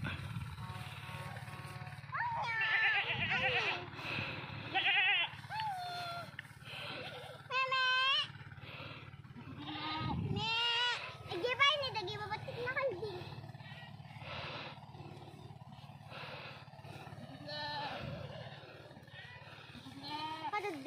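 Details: Goats kept as pets or livestock, Philippines; repeated wavering bleats with stacked harmonics, several loud ones between 7.5 and 12 seconds, over a steady low hum, with people's voices in the background.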